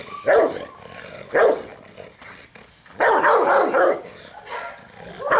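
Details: A Rottweiler gives loud, harsh barks in bursts, some single and some running together in quick strings, during agitation training with a puppy sleeve.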